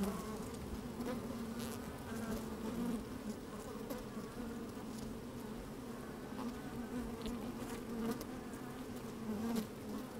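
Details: Bees bustling in an opened hive under sunshine with a little wind, microphone among the combs: unbroken low hum rich in overtones, occasional brief buzzes flaring up over the drone.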